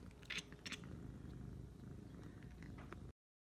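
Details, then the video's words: A domestic cat trying to get the attention of birds gives two quick, clicky, chirping bursts in the first second. Only faint scattered ticks follow over a low rumbling background. "Cat Makes Strange Noise While Trying to Get the Attention of Birds"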